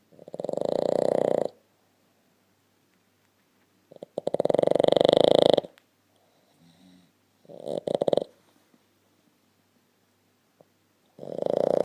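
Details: A Boston Terrier, fast asleep nose to nose with a blue Staffordshire Bull Terrier, snores in long, rasping breaths, each lasting over a second with pauses between.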